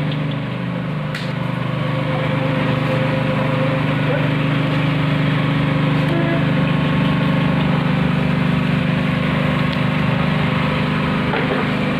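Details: A steady engine idles and drones throughout, with a low hum and occasional speech; no animal calls are heard.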